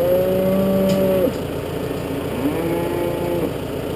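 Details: Farm Galloway cattle during suckler-cow feeding, a wild bull among them: one sustained level moo ending abruptly, followed by a second softer, rising moo, with a running engine droning behind.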